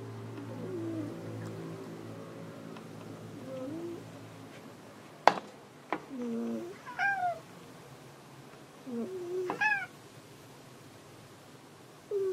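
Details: House cat searching for another cat gives several short, rising-then-falling meows spaced a few seconds apart, with a person speaking softly at the start and quiet room background.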